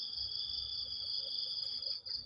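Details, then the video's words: Steady shrill trilling of crickets on a rainy morning near banana plants, a continuous high buzz over a lower parallel tone, with faint low rumbling beneath. "ฟังเสียงหรีดหริ่งเรไร ยามเช้าๆ"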